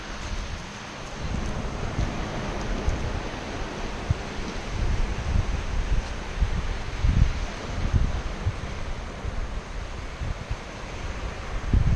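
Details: Steady wind rumbling over the microphone with surf washing in at a beach, no animal voice heard.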